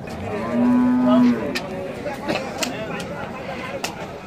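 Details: Cattle at an Indian cow market: a single low sustained moo of about one second near the start, then busy market background with traders' Bengali chatter and scattered clicks and knocks.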